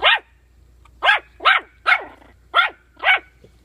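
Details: Puppy with bully sticks yapping six times, high arched barks about every half second after an opening bark and a short pause.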